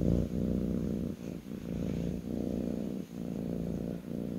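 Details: Low, buzzing purr from a kitten resting on its owner's lap, breathing cycles pulsing about every second, with no other sounds.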